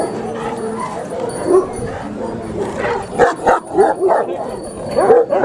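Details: Large Pakistani Bully Kutta dog: uneven clusters of sharp, harsh barks grow louder after a quieter start, with people's speech underneath.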